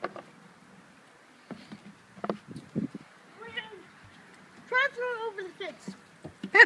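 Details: Border Collie named Scarlett, her frisbee landed in an unreachable spot, whining in frustration: high wavering harmonic whines, a long one near the middle and another toward the end, with scattered clicks and thumps between.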